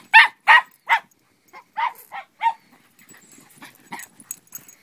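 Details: Barking of dogs at play in snow on a race track dug by three boys; three loud quick barks open, then softer yips and barks trail off amid rustling.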